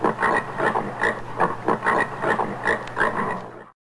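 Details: Common warthog of African savanna and woodland uttering rough, pulsing grunts in bursts of about two per second, each a gritty snort, with a constant low hum in the background until the sound fades out.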